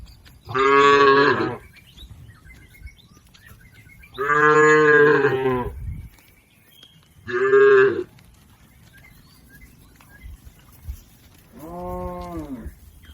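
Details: Herded domestic cattle crossing a river toward their pen: four loud, harmonic moos, each lasting about one second, spaced roughly three seconds apart, the last one softer and lower, over a quiet outdoor background.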